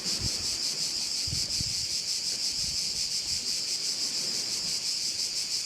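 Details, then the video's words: Continuous high insect buzzing from crickets at a bay on the island of Korčula, Croatia, throbbing in quick regular pulses over faint gusts of wind. "view of one of the bays in Korcula with sounds of crickets"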